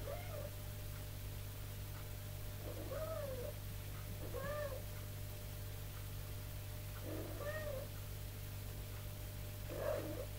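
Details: Teaching her kittens to climb stairs, the mother cat Tipsu calls them with five clear, short meows spaced about two seconds apart. Each meow rises and then falls, heard over a constant low electrical hum.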